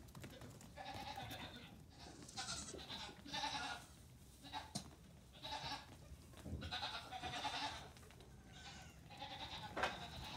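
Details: Young Nigerian Dwarf goat kids on a farm, aged three days to two weeks, loose as a group while their mothers eat morning grain; repeated wavering bleats from several kids, with short sharp knocks and barn noise between calls.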